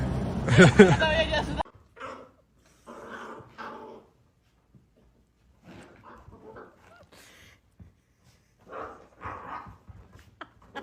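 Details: Dog in a funny home moment: one loud, harsh outburst at the start, then short, scattered whimpering and yelping sounds separated by quiet gaps, with people talking in the background.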